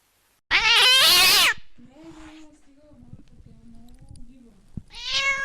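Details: Domestic cat gives a harsh, loud, strained meow, followed by a low, quiet drawn-out moan and then a rising final meow; sounds meant to frighten rats.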